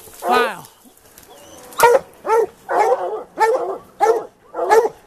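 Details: Plott hounds baying during an afternoon mountain lion hunt: a drawn-out, wavering howl opens, followed after a pause by five or six choppy, hoarse bays in quick rhythm, with a man talking nearby.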